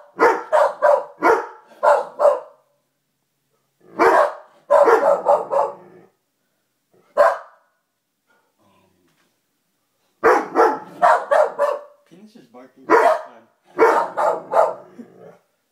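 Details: Mocha, a Lab/Weimaraner mix, barks and growls at a newly hung Call of Duty poster while Peanut, a Corgi, barks along: rapid volleys of bright, sharp barks, a lull of several seconds midway, then renewed bursts.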